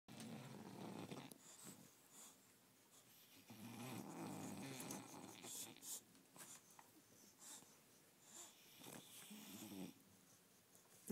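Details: A napping bulldog lying in a tent indoors snores in rough, rasping breaths, each snore a noisy burst with pauses between, about a dozen in all.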